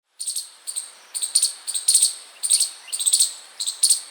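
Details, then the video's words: A chipmunk outside a house chirps constantly, giving sharp, high chirps in short clusters repeated steadily about every half second. "Chipmunk Chirping Sound (Audio)🐿️🎶"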